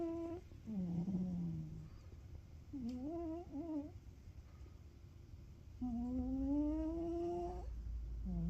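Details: Snoring Ragamuffin cat while sleeping: short low buzzy breaths and a wavering tonal snort, then one long smoothly rising hummed breath lasting about two seconds.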